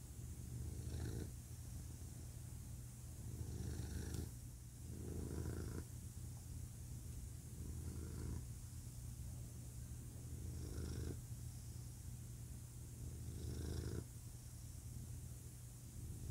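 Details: Male pet cat purring at very low pitch, a steady rumbling drone that swells louder in breath-linked phases about every two to three seconds, with quieter stretches between; no other sounds.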